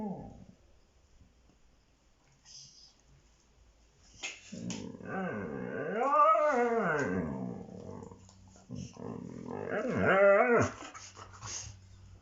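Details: Male Siberian Husky making bear-like sounds while play-fighting with a child. Two drawn-out, rising-then-falling vocal rumbles at about four to seven seconds and nine to eleven seconds, with quieter shuffling and low background noise between them.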